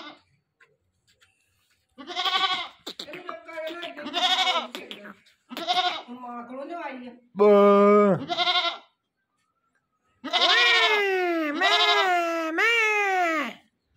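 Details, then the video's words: Newly acquired goat that would not stop calling gives repeated wavering bleats, several long and falling in pitch toward the end, mixed with people talking nearby. "new goat liya or oski awaz he band ni ho rahi thi"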